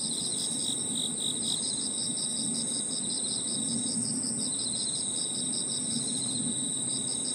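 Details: Crickets and other insects trill together in an evening park, an unbroken chorus of high, steady and pulsing notes over a soft low rumble.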